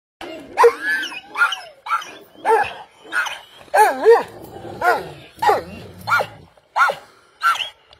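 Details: Kangal dogs Kamyon, Merkel and Volvo, a father, son and mother, give a morning greeting: a steady run of about eleven loud, tonal barks, each with a rising-falling ring, spaced roughly every half second to second.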